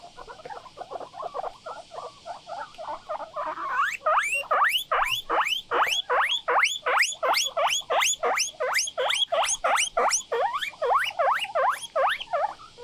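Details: Three pet guinea pigs out for an early-morning walk on a balcony. Soft chirps at first, then a long run of loud, squeaky, rising whistles, about two each second, steady and insistent.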